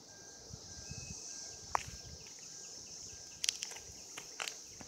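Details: Cicadas recorded in 2016 during mating, a steady high-pitched droning chorus running unbroken throughout, with scattered sharp clicks and rustling bursts near the middle and end, and faint low rumbling below.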